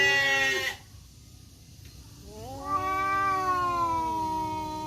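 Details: Black and striped male village cats squaring off to fight in woodland in Indonesia; one sustained moaning howl fades out, then after a quiet gap a second long wavering yowl swells and holds.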